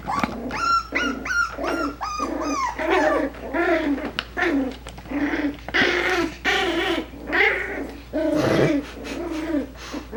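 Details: Five-week-old Coton de Tulear puppies at play indoors: a fast series of high, sharp yaps at first, then longer harmonic growl-barks and whining yowls repeated roughly every second, with a few clicks and thumps.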